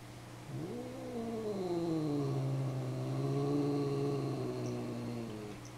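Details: Tuxedo kitten during a surprise fly-by attack: a single drawn-out wavering yowl that rises, dips and slowly trails off over about five seconds, over a steady low hum.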